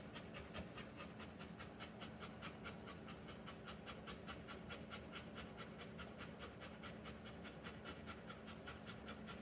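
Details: A Rottweiler in labour pants hard and fast. Even, airy bursts repeat about two and a half times a second for the whole stretch, with a steady low background drone.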